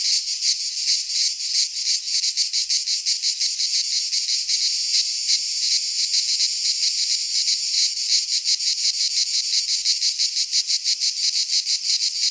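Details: Singing cicadas, midsummer, pine forest in Greece; loud high rasping chorus with fast throbbing pulses that grow sharper and more distinct toward the end, no other sounds present.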